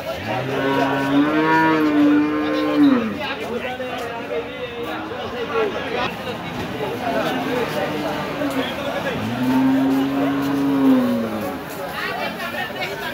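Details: Cattle at a busy cattle market during unloading, with two long drawn-out moos, each swelling and falling over about two seconds, under steady crowd chatter and background noise.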